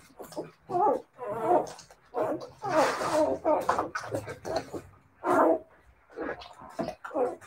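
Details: Siberian Husky puppies close by, trading short harmonic yelps and grumbling whines in bursts of about half a second, separated by brief pauses, with about a dozen calls across the stretch.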